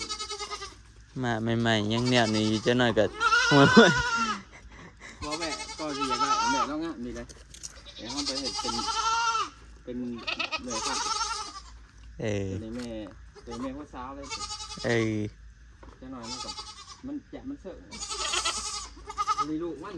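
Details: Goats, four more bought for the herd, bleat repeatedly in wavering, quavering calls spaced a second or two apart, mixed with people talking nearby.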